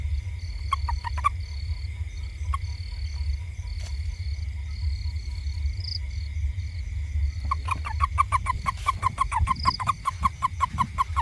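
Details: Toad in a garden around a house, giving a quick run of short, clicking pulses in the second half, repeated several times a second, over a steady low rumble and a constant high insect-like whine.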